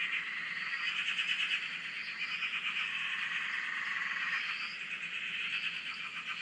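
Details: Many frogs calling together at a dam in Australia, heard from a shack: a thick, unbroken wall of rapid pulsing croaks, with brief higher rising notes over the top.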